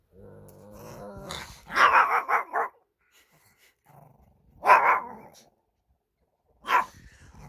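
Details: Two Shih Tzu brothers squabble over a stuffed toy indoors on 13 March 2024, a Wednesday. A low rumbling opening gives way to gruff, harsh growl-bark bursts, a long one near the start and two shorter ones, with quiet gaps between.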